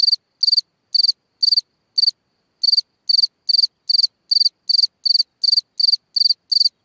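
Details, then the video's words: Cricket at night in a hole in the ground, chirping in short high trills; a few spaced chirps, a gap of about half a second, then a quicker steady run; nothing else audible. "Watch and Listen a singing Cricket (Chirping sounds, Hole in the ground, Night Ambient Sounds)"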